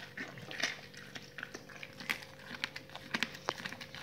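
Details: Raw-fed dogs chewing raw salmon on the bone and raw chicken carcasses, quick sharp crunches and clicks of bone breaking in close succession, over a constant background hum.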